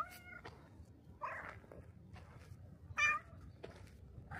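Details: Black stray cat at a shrine, coming to the torii gate to greet visitors, giving three short harmonic meows spaced about a second apart, the last one loudest, over a faint low outdoor rumble.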